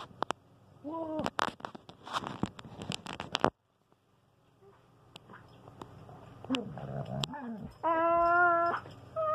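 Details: Pet dogs, a standard poodle and a husky, talking to each other indoors; drawn-out whining howls with wavering pitch, a short one near the start and a long steady howl at the end, with some scuffling and clicks between.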